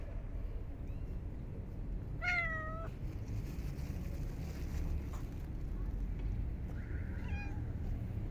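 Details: Stray park cats being fed in very cold winter weather; one clear wavering meow near the start, then a fainter meow about five seconds later, over a low rumbling outdoor background.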